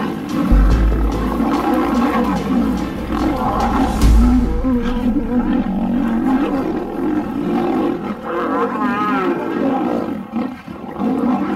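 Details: Male African lion in a fierce fight defending its territory: rough, rasping roars and snarling growls rise and fall across the stretch, with a wavering growl near the end, over steady background music.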